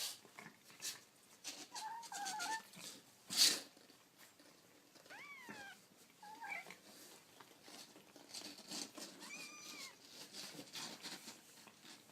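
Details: Kittens calling indoors: several short, thin, high mews with rising and falling harmonics scattered through the clip, some doubled, over light rustling and handling clicks.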